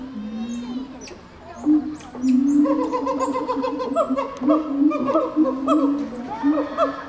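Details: Gibbon call bout building from low wavering hoots into a fast sequence of rising, whooping notes that grow louder and more excited toward the end, with faint high chirps in the background.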